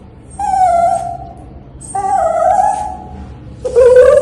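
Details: Pet dog at bath time lets out three long, nasal whines about a second apart, each held on a steady tone with rich overtones, the last climbing and wavering, against a quiet background.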